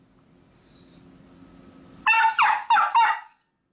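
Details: Two miniature dachshunds protest their owner leaving for work: after two seconds of quiet room noise come two rapid, loud bursts of yappy barking.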